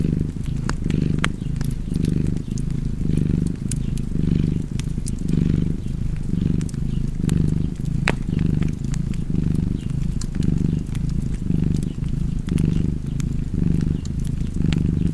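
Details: Long, even cat purr: a throaty rumble pulsing steadily with the breath about once per second, accompanied throughout by crisp fireplace crackles.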